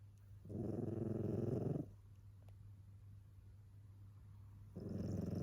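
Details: Sleeping tabby cat snoring like a person: two long, low rumbling breaths, the first about 1.3 seconds, the second starting near the end, separated by a quiet pause with faint steady hum.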